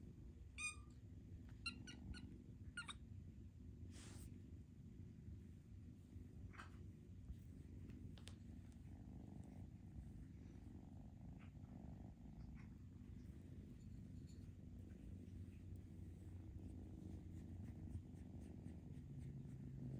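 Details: Purring from foster kittens being socialized, a continuous low rumble beneath scattered clicks and handling noises over twenty seconds.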